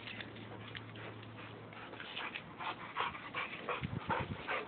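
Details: A Boxer and a Labrador wrestling in mud at play; short whimpering and yipping bursts come irregularly, growing denser toward the end, with low thumps of the scuffle underneath.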